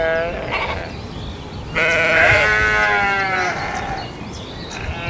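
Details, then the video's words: Domesticated sheep calling with a long, loud, trembling bleat lasting nearly two seconds, preceded and followed by softer, shorter bleats from further off. "SHEEP SOUNDS"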